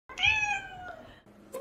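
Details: British Shorthair cat giving a single clear, drawn-out meow that starts high and slowly falls, rich in harmonics, followed by a brief soft sound in a quiet room.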